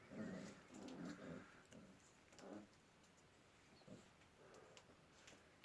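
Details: Kangal puppies growing up together with chickens in a village on a snowy winter day; low, muffled whimpering growls come in short bursts roughly once a second, then fade into a steady background hiss.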